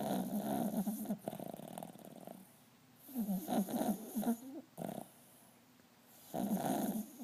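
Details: A small dog snores in loud, rasping bursts with a rattling, fluttering quality, each lasting one to two seconds and separated by quieter breathing pauses, in a quiet room.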